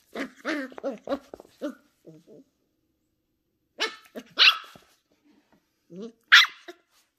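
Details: Ten-week-old female Shetland Sheepdog puppy, curious and exploring new things at home, giving a quick run of high, sharp yips, then two louder single barks and a final yip, spaced by pauses.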